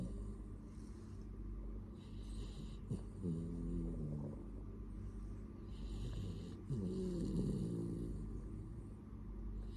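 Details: A sleeping dog snores in two long, low, rattling breaths a few seconds apart, each a buzzy harmonic drone, with constant low hum and faint hiss in the background.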